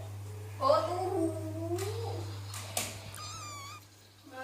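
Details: Persian cat crying for its mother indoors: one long wavering meow that rises and then sags over about two seconds, then a thinner, higher short cry. A steady low electrical hum and brief knocks run underneath.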